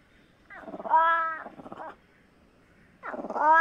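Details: Fishing cat (Prionailurus viverrinus) giving two loud, harmonic, meow-like calls: the first wavers for about a second and trails into a buzzy, stuttering tail, then a second rising yowl follows after a quiet pause.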